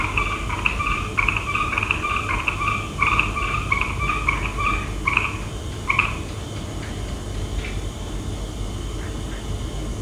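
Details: Frogs calling at night in Laos: quick repeated two-toned calls, a lower and a higher note together, in dense bursts for the first six seconds, then sparser, over steady low rumbling background noise.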